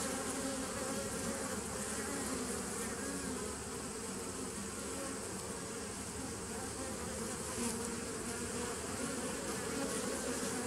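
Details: Honey bee colony started as a nuc in 2017, recorded 27 September 2018: a sustained, even buzzing drone with a rough, fluttering texture and steady low tonal bands. Loudness barely varies for about ten seconds.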